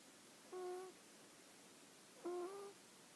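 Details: Hana the dog snoring softly, two short whistled breaths less than two seconds apart, each a clear steady tone, in an otherwise silent room.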